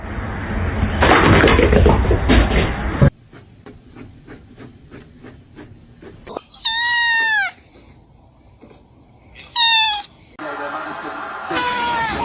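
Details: Kitten meowing indoors: after a burst of loud noise and soft ticking, two high, clear, drawn-out meows bend downward in pitch, followed by a further harsher meow near the end.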